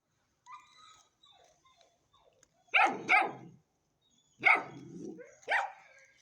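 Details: Ten-week-old Hanoverian Scenthound puppy: a faint whine, then two pairs of sharp, high-pitched yapping barks, the second pair followed by a short trailing whimper.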